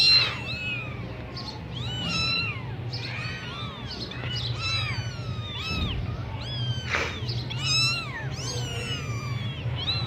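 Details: Persian Sami Punch kittens in Gujranwala, Pakistan, mewing over and over in high, thin, arched calls that rise and fall, several voices overlapping almost without pause, over a low constant background hum.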